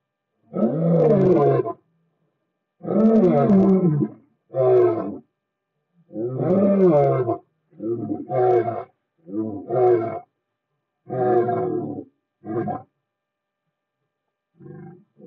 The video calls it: Lions roaring